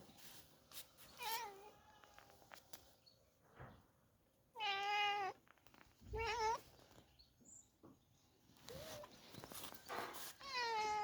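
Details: Cats that have invaded a house, one being chased from the kitchen; a series of loud, drawn-out wavering meows, several rising then falling, separated by quiet gaps with rustling and clicks.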